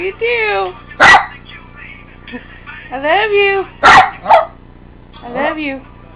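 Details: Indoors, dog Buddy answers annoying ringtones with sharp barks between warbling, sliding electronic ringtone phrases; a single bark, then a double bark, over the repeating tones.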